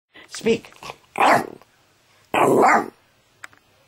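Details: A small dog speaking on command, giving three short vocal bursts, a brief yelp then two louder rough woofy barks about a second apart, with a faint click near the end.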